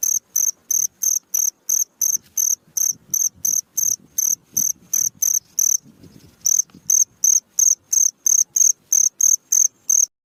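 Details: Crickets chirping melodiously at night, offered as a tutor sound for songbirds: high, shrill pulsed bursts repeated steadily two to three times a second, with one brief pause midway and a faint low rumble underneath.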